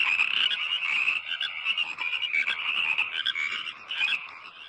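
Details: Frogs in Indonesian rice fields, their calls praised as sweet singing: a continuous dense chorus of overlapping raspy, high croaks from many frogs, with no gaps.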